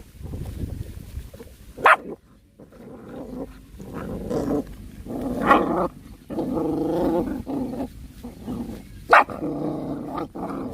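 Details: Puppies fighting over food and acting angry, with low rumbling growls in long bursts, a few sharp yelps and barks breaking through, and short pauses between bouts.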